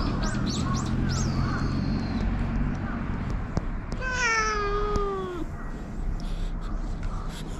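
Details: Stray community cats checked on outdoors in Japan, GoPro recording; a few brief high mews early, then one clear drawn-out descending meow, over steady low background hum.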